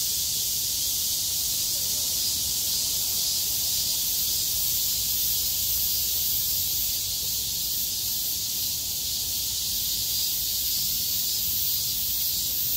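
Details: Cicada chorus on a clearing day after torrential rain, 6 August 2020; a sustained, dense, high-pitched buzzing sheet of sound holds steady for the whole stretch with faint low rumble beneath.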